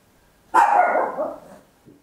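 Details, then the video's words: Papillon, a tiny dog, gives one loud bark at home, captured in stereo on an Olympus LS-11; bright attack, sustained for about a second, then trailing off, with a faint soft sound just after. "Tiny Dog Barking Very Loud, Papillon"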